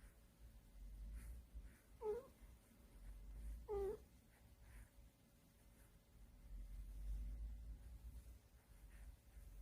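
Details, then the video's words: House cat feeling happy and comfortable while being petted by its owner, giving soft murmured 'eung' sounds; two short rising calls come under two seconds apart, over a quiet low rumble in the room. "집사가 만져줘서 기분이 너무 좋은 고양이 으웅 으웅 으으으웅 A happy cat makes some cute noise!"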